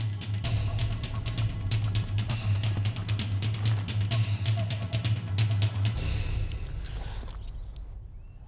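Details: Driving drum-kit music with a heavy bass beat plays throughout and fades out near the end, with no animal sounds.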